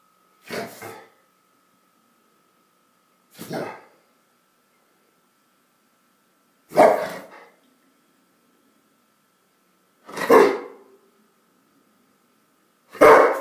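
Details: A Rottweiler in a friendly stand-off gives single deep, gruff barks, spaced roughly three seconds apart.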